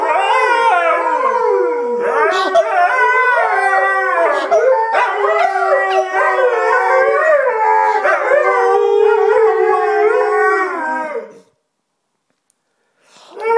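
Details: Two Alaskan Malamutes howling together, with long, wavering, overlapping tones that rise and fall and interweave for about eleven seconds before silence.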